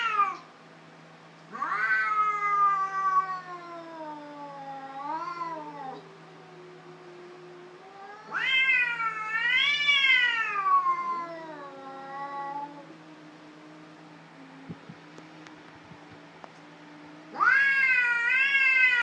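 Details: Cats in a fight give wailing, rising-and-falling howls in long bouts, with low moaning growls trailing between the louder shrieking peaks, three main outbursts across the recording.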